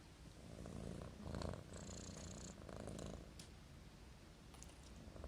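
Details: Marimo, a sleeping kitten, snores like a human: a low, rough rumble with steady purring underneath, swelling and easing with each breath, with faint rustling above.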